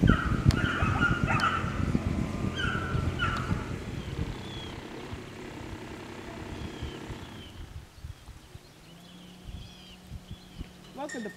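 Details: Ten-week-old Labrador Retriever puppies give short, high, whining yelps in clusters during the first few seconds. The sound then fades into quieter rumbling background, with a faint steady hum and a brief rising squeal near the end.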